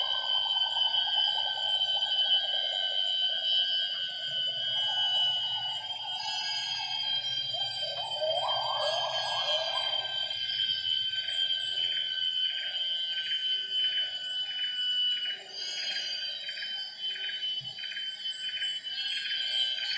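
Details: Morning gibbon song at 07:58 in Semenggoh's primary rainforest near Kuching, Borneo. The pair duets, female great call with male coda. Wavering hoots swell into a loud rising glissando climax, then softer notes, beneath constant shrill insect buzzing and pulsing.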